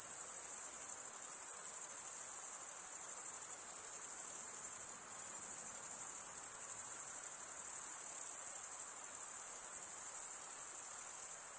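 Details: Male crickets stridulating, scraping a comb-like wing vein across the other wing. A steady, piercing high trill fills the whole stretch as an even chorus with only slight pulsing in loudness and no other sounds.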